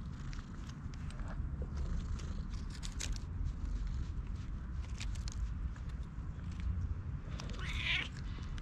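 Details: A friendly stray cat met by chance in a forest, one that loves being petted, filmed on a GoPro. A single drawn-out, rising-then-falling meow comes near the end, over steady low rumble and rustling footsteps.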